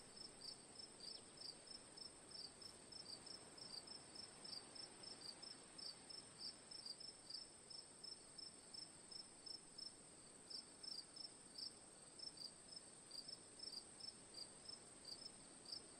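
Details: Cricket sounds for relaxation: rapid high chirps in uneven clusters, several per second, above a continuous piercing insect whine and faint rustling noise underneath.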